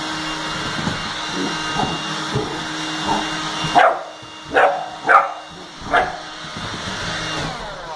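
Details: Eleven-week-old Bernese Mountain Dog puppy named Bear barks at a running vacuum cleaner: a constant mechanical hum, then four loud, abrupt barks in quick succession over roughly two seconds.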